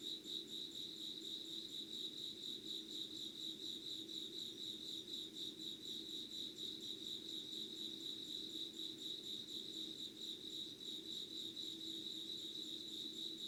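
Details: Unedited recording of insects at 05:00 on 25 August 2019. A steady high-pitched pulsing chirr runs without pause at roughly four pulses a second, over a low constant background hum.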